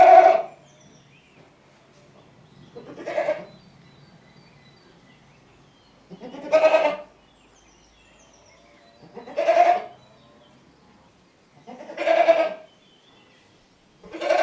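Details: Goat bleating in short, harsh, wavering cries about half a second long, repeated roughly every three seconds in a quiet setting with faint low background hum.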